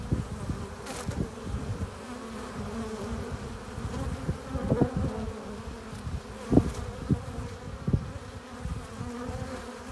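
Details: Buzzing of honey bees entering their hive carrying pollen and nectar, a continuous low drone with stacked harmonic bands, punctuated by several louder passes as single bees fly close, strongest near the middle and end.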